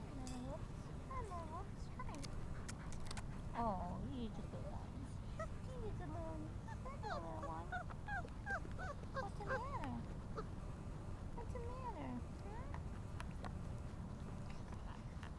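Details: Whimpering mastiff puppies, four weeks old, named Cricket and Bobby, give a long run of squeaky, wavering whines that rise and dip, often in quick bunches, over a persistent low rumble and occasional clicks.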